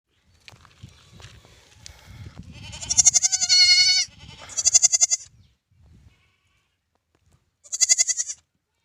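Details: Newborn lamb bleating: after soft low rustling, two quavering, pulsed high bleats run together mid-clip, then a pause and one shorter trembling bleat near the end.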